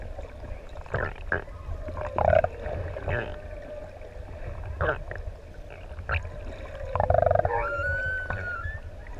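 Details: Humpback whale song in open water off ʻEua, Tonga, where six adult whales swim and play close to snorkelers: steady mid-pitched hums and moans with clicking bursts, ending in a rising, whistled upsweep carrying overtones.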